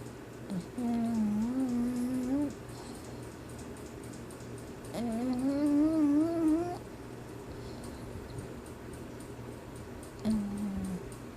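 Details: English Bulldog puppy Irene snoring during a nap, legs twitching as if running: long tonal, slightly rising droning snores, each lasting up to two seconds, three heard roughly every four to five seconds, with a quiet indoor hum between.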